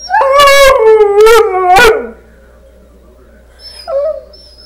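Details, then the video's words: Dog holding a conversation with wolves on a screen, giving three loud, rough, wavering howl bursts that sink in pitch, then a pause and a short, soft, rising whine. "TALKING DOG/SADIE HAVING A CHAT WITH WOLVES"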